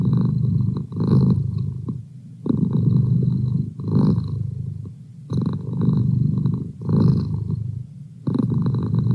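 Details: Merlin, a pet domestic cat, purring steadily: a low, rumbling drone that swells and fades with each breath, roughly every one and a half seconds, with brief quiet dips between cycles.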